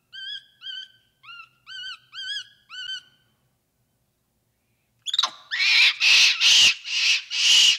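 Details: Capuchin monkey giving six short arched whistles, then a pause, followed by a string of loud, harsh, rasping screams in rapid succession.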